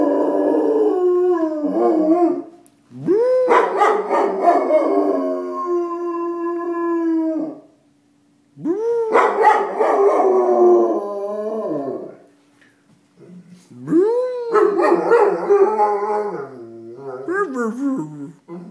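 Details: Pet dog Chewie howls at sirens, giving long quavering howls in four drawn-out bouts that swoop up sharply then waver and fall, some starting with a yelping edge, with short quiet gaps between them.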